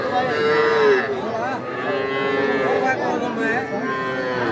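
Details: Young bulls and heifer calves at Aftabganj cattle market, Nawabganj, Dinajpur, Bangladesh, 5 September; a clear drawn-out moo opens, followed by further long, steady lowing calls against a background of market voices.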